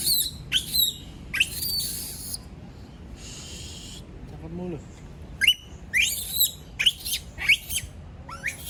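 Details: Shrill screams from a female monkey left by herself, given in a few loud bursts separated by a quieter gap with a brief wavering squeal. A rapid run of piercing cries follows, then a person speaks.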